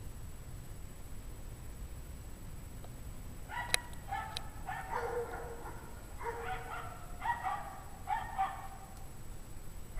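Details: Distant barking from a pack of obviously unhappy dogs, recorded at 5:00 PM on Friday, January 9, 2009, at 17 degrees Fahrenheit. Scattered bark bursts come in clusters over the second half, with a sharp click near the start, all above a steady low rumble.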